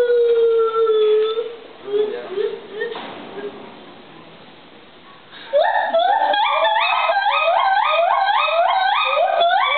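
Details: Mated pair of white-handed gibbons, male Luke and female Sakura, giving their great call at Ishikawa Zoo, with an older young male joining faintly and a baby male imitating. Rising, stepped whoops repeat rapidly after a quieter opening of sliding hoots.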